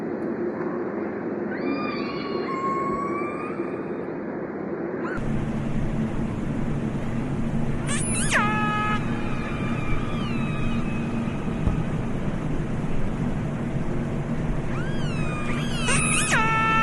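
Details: Orca calls underwater: a series of harmonic, squealing calls that rise, bend and fall, with several sharp upsweeping bursts, over constant low rumbling water noise.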